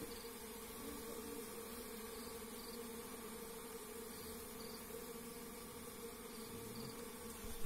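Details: A continuous, even drone rises from wild forest honey bees while their hive is harvested by bare hand, a dense humming layer with no breaks, and a sudden loud bump at the very end.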